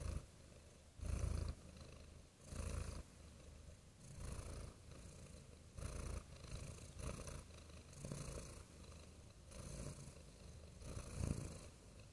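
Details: Soft cat purr, a low buzzing rumble swelling rhythmically about every one and a half seconds, quiet and close, with light background hiss.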